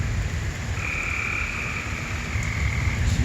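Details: Frogs calling in rain over flooded ground in Vestavia Hills, Alabama, a continuous ringing trill holding for nearly two seconds amid a dense chorus, with loud rushing floodwater and low rumble throughout.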